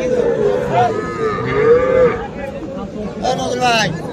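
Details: Small bulls and heifer calves at Aftabganj cattle market, Bangladesh, on 3 February, giving drawn-out, wavering moos over constant crowd chatter and voices.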